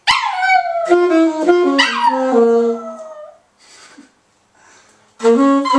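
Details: A pet dog sings free-form jazz, giving loud, tonal, howl-like notes that slide and waver between pitches in short connected phrases. A brief pause follows, then another sustained howl begins.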